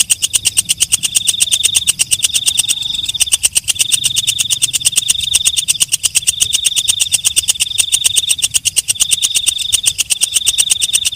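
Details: Katydid (walang kecek) at night: steady, rapid clicking pulses merge into a high, rasping drone. The song comes in repeated phrases roughly every one and a half seconds, with a short break near the third second.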